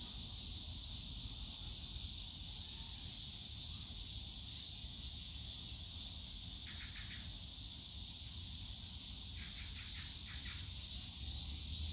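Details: Steady high cicada drone in the bamboo forest of Yongsan Family Park in summer, with two bursts of quick repeated chirps from another small creature standing out near the middle and end, low background rumble.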